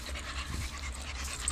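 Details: A Pit Bull dog pants on a first long walk, offered water from a bowl; soft, steady breathy rasps run throughout over low rumbling background noise.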